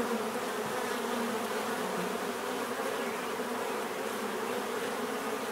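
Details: Steady buzzing from many bees, an unbroken mid-pitched hum with a grainy upper hiss and small wavers in loudness.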